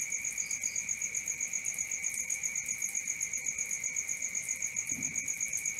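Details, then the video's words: Crickets after dark: a level, piercing trill under a quick rhythmic beading of higher chirps, with a brief softer chirp early on and a faint low thump near the end. "Cricket 1 hour for Sleeping & Relaxation, Black Screen, ASMR, Dark Screen Nature Sounds"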